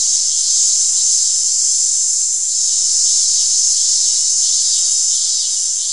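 A cicada calls with an unbroken, shrill buzz held high in pitch throughout. The drone swells and fades a little in slow pulses but never stops.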